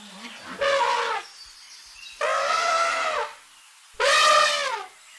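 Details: Elephant trumpets in three loud, brassy, horn-like blasts, each about a second long and roughly two seconds apart. The pitch stays steady, then drops slightly at the end of each blast, with quiet pauses between.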